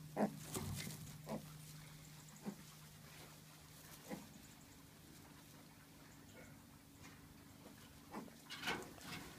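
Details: Pet micro pigs kept by a UK breeder give short, low grunts and snuffles at irregular intervals, some several seconds apart, over a steady background hum.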